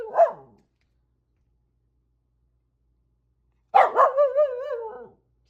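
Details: Renfri the corgi guards against cranes and geese, giving one short bark, then after a gap a sharp bark that rolls into a drawn-out, warbling howl-like whine.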